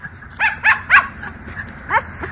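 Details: Miniature Schnauzer, one of two brothers playing in a leaf-strewn yard in October 2024, gives four sharp, high barks in quick succession over low background noise, with a person speaking just before.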